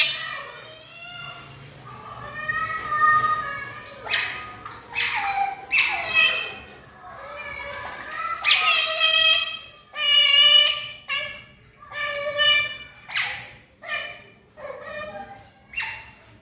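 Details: Two pet otters, Brownie and Daisy, calling while asking for breakfast, fond of eating catfish; a run of high, harmonic squealing whistles, some rising and falling, repeated in bursts roughly every second indoors, with faint low hum behind.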